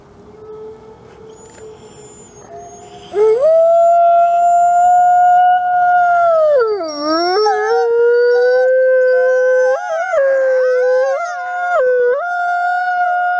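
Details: Alawa, a captive-born male gray wolf at the Wolf Conservation Center in South Salem, New York, howls: quiet start, then a long steady howl with a dip and a drop midway, joined by other overlapping howling voices.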